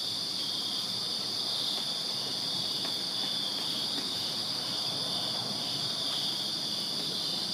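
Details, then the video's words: Summer-night crickets in a Virginia backyard keep up a constant high trilling drone, with a few faint ticks scattered across the steady chorus. "Crickets Chirping Summer Night in Virginia"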